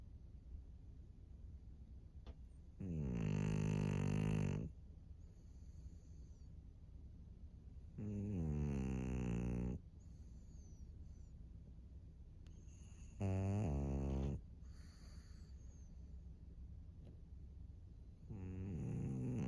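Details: Maria, a 13-year-old senior fawn female pug in Japan, March 2024, snoring: loud rasping, droning snores of about two seconds each, separated by quiet pauses of three to four seconds, four in total.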